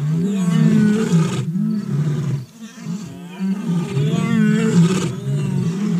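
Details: A lion, from a group of old and young lions, roars in two long, deep, rumbling bursts with a short pause between them.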